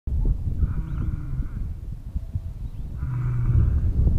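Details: A male lion, his mouth covered in blood, gives two deep, drawn-out roaring moans over heavy low rumbling noise.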